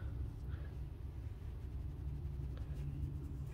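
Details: Deep continuous rumble like distant traffic, with faint ticks and no animal voice.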